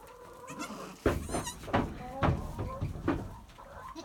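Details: Two newborn Nigerian Dwarf goat kids, a male and his sister, about one hour old, born in July at 2 and 3 lb. There are four short, strained bleats with rich harmonics, spaced roughly every half to one second, over low background rumble.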